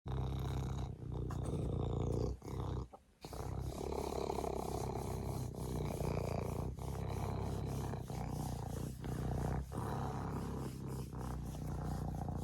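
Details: Serval purring up close, a steady low rumbling drone with layered harmonic bands that runs almost unbroken, except for a short gap near the third second.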